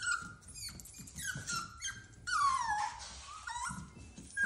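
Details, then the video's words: Cavalier King Charles Spaniel puppy crying, too scared to go down the stairs; thin high whines with a long, sagging wail in the middle that falls steeply, then quieter short whimpers, recorded inside. "Crying puppy scared to go down the stairs"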